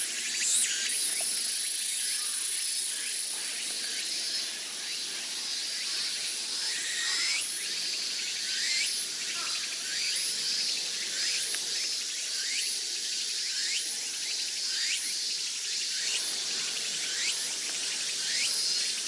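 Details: Cicadas calling on a summer day in Sendai, heard from Atago Shrine: a dense, high, hissing chorus with short sweeping notes repeated irregularly throughout.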